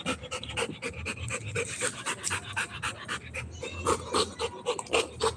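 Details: Rottweiler puppy panting while playing, rapid rhythmic breaths around four per second with a soft voiced pulse in each, steady and close.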